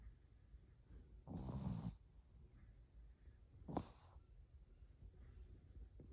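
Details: Small Shih Tzu puppy Oreo snoring in sleep: one long, grating snore, then a shorter, sharper snort a couple of seconds later, with soft low hum before and after.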